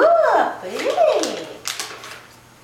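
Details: A Siamese cat performing tricks, prompted to say meow, utters two nasal, drawn-out meows that bend up then slide down in pitch; a few sharp clicks or taps follow in a small indoor room.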